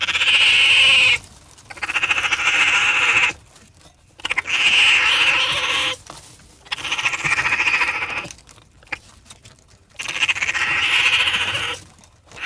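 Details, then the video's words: Several long, strained, whining trills from a raccoon, each lasting over a second, rapidly pulsed with a steady high tone, returning about every two to three seconds. "What does a Raccoon sound like?"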